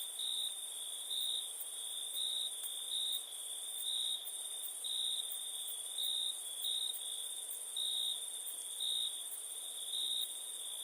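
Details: Crickets at night, with a steady high trilling band and louder pulsed chirps recurring roughly once a second, plus a fainter very high shimmering band of rapid ticks above it; a calm nocturnal ambience with no other sounds.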